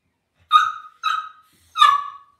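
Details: Indoor pen of Cavalier King Charles Spaniel puppies: three quick whistling whimpers in a row, each starting sharp and sliding down as it fades, evenly spaced over about two seconds against a quiet room.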